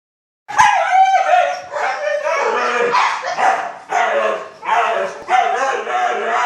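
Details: Two overexcited husky puppies wanting to go on their morning walk: loud, harmonic, wavering howl-like yelps and whines in long bursts after a moment of silence, with short pauses between outbursts.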